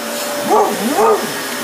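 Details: Hyper Basset Hound worked up by a vacuum cleaner: two rising-then-falling yelping barks, the second longer and higher, over the constant drone of the running vacuum.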